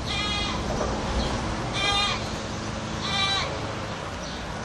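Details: Goat calling out in three strained, nasal yells at roughly one-and-a-half-second intervals, each a short held cry falling away at its close, set against constant low background noise.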